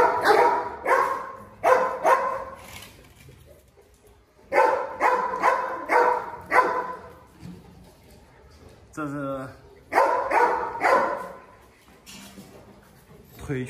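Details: Presa Canario with a lame leg barks in three bursts of rapid, deep woofs separated by short pauses; a man's voice comes in briefly near the middle.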